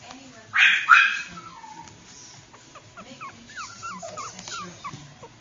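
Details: Pomeranian puppy, a teacup fur baby, giving two loud harsh yelps followed by a run of short high squeaky yips and whimpers, some rising and falling, with a voice heard faintly in the background.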